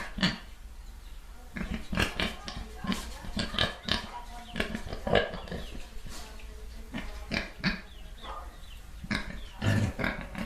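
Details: A group of pigs making repeated short oinks and snorts, irregularly spaced, mixed with soft rustling and a few brighter squeaky notes.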